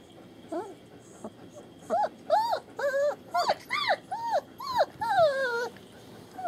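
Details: Young German Shepherd pups from a litter born 28 January 2015, at a kennel on rural land in Mayo, Florida, 21 February 2015: rapid run of high arched whimpers and squeals, rising then falling, overlapping in quick succession over several seconds.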